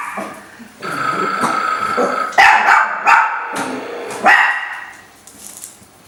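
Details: Pet Chihuahuas at play, three dogs named Jacques, Isabelle and Rachelle; a drawn-out whiny tone gives way to a few sharp barks, then fades into quiet.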